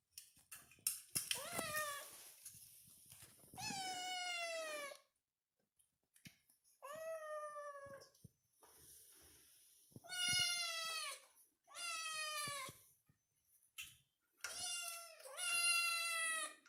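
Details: A kitten meowing, seemingly asking to be fussed over: a run of clear, high, drawn-out mews, each about a second long, coming in bursts separated by short pauses, with faint handling noises in a small indoor room.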